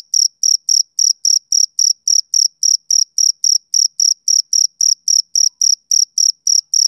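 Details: Male cricket chirping at dusk in summer, a clean, regular series of piercing high pulses roughly three to four per second, each carrying a faint higher overtone, with nothing else audible.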